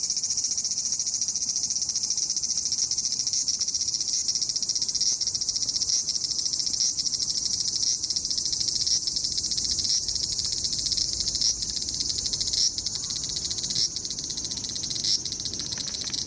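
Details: A large brown cicada (Graptopsaltria nigrofuscata) finally sings at Aoba Park on 19 July 2019, a steady high sizzling drone like oil frying; few were heard that year, and the recordist wondered if abnormal weather was the cause.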